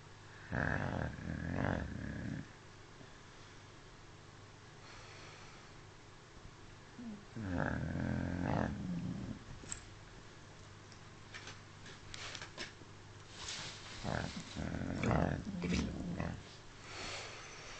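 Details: Dog named Smudge snoring in deep sleep, three separate low rasping snores spaced several seconds apart, each about one to two seconds long, with faint clicks and rustles between them.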